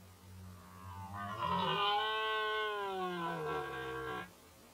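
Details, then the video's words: A red deer stag bellows during the 2019 mating season. The roar is powerful, hoarse and sustained for about three seconds, rising slightly and then falling away. A constant low drone runs underneath. "Rykowisko Jeleni"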